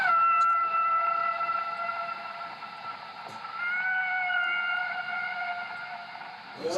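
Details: Whale sound picked up underwater by the sonar of the French submarine Le Terrible and played back by its sonar operator: a steady, tonal, harmonic moan that bends slightly upward midway, over a low rumbling background.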